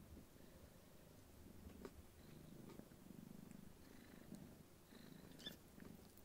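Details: Somali kittens, a litter of three silver females, purring indoors on 5 March 2019 while two play together and one sleeps; low steady rumbling purr in pulsed bursts of about a second, with faint small knocks.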